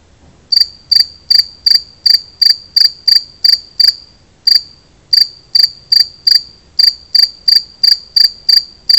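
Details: Two-spotted cricket singing: a steady run of sharp, high, metallic chirps, roughly three per second, with brief gaps near the middle and two-thirds through, over a quiet background.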